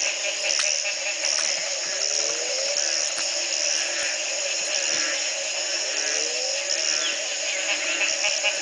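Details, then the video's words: Morning frog chorus at the Community Baboon Sanctuary in Belize, 2010, after one night of rain ended a three-month drought: layered continuous high buzzing and chirping, with occasional rising low glides. "Frog calls galore"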